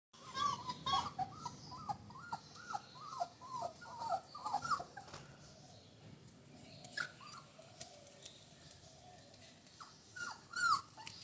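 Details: Rajapalayam puppies, 24 days old, just starting to walk on a solid floor in Thoothukudi; several short high whimpers and squeaks in a quick run at first, then scattered, thinner cries later.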